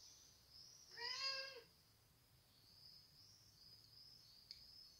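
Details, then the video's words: A hungry domestic cat gives one clear, arched meow lasting under a second, followed by quiet with a thin, continuous high-pitched whine in the background. "Cat hungry and talking"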